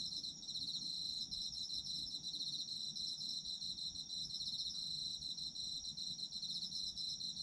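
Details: Chorus of autumn insects for sleep listening, a steady high ringing trill with fast rhythmic pulses layered over a continuous shrill tone, unbroken throughout, over a soft low background hum.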